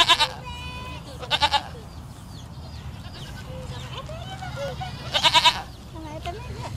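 A young goat gives high, quavering bleats in short bursts, with soft human voices in the background.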